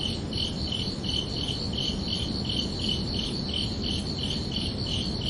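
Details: Crickets chirp steadily at night, short pulsed trills repeating about every half second over a low rumbling background.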